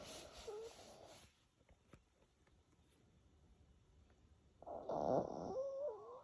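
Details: Dog named Mimi snoring: a raspy, breathy burst at the start, a quiet stretch, then a louder wheezing snore near the end with a whistling, wavering tone riding over it.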